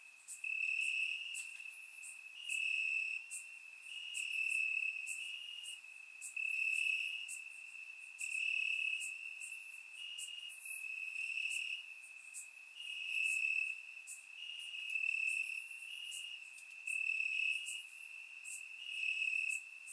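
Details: Crickets in grass on a warm Bulgarian summer night, captured with a surround microphone: a sustained high ringing trill that pulses in loud stretches every second or two, with fainter higher chirps above.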